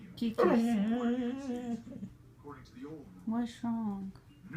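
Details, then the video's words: Pet dog Kylie, indoors in a small room, upset that another dog, April, wants to get on the bed; drawn-out moaning, talking-like whines with sliding pitch, a long one followed by shorter bursts, with an owner's voice nearby. "Talking dog"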